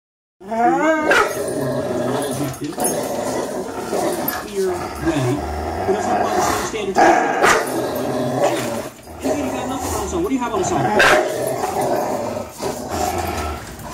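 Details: Fox, a three-year-old Greyhound, and Miles, a three-year-old German Shorthaired Pointer, play tug of war. A few rising whines open, then dense continuous growling runs throughout, with human voices mixed in.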